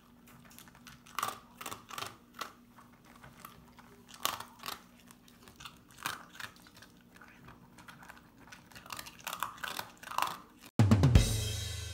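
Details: Crunching, clicking bites and chewing indoors over a low steady hum, ending in a sudden burst of loud noise.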